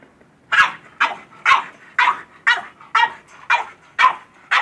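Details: Barks of a French bulldog excited by a goat, evenly spaced about every half second, each a strong, harsh, mid-pitched bark.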